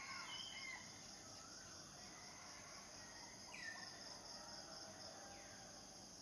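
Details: Cicada chorus holding a constant shrill buzz throughout, while a bird gives a few sharp downward-sliding chirps and soft whistles at intervals.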